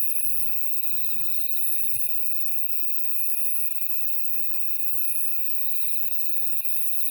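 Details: Summer-night chorus of grass insects beside a Woraksan mountain trail in Korea, with children out looking for stag beetles; continuous high shrill trilling with rhythmic pulsed phrases recurring every second or so, faint footsteps and murmurs below.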